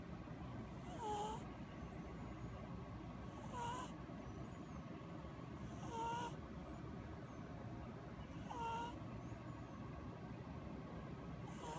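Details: Ramen, an orange male cat, napping after recently losing his sister, snores in slow breaths about every two and a half seconds, each a soft airy rush with a thin whistling tone bending through it over a low steady hum.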